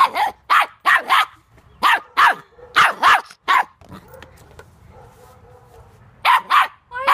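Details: Puppy barking in quick pairs and triplets of sharp, clipped barks. A two-second pause with a faint hum comes before a final burst of paired barks.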